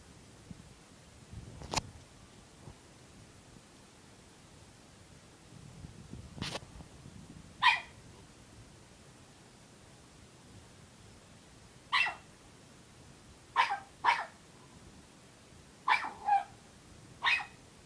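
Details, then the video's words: Puppy, unhappy and wanting to play, gives short sharp barks scattered through the recording, several in quick pairs near the end, with a few clicks and bumps and long quiet gaps. "Unhappy Puppy Barking"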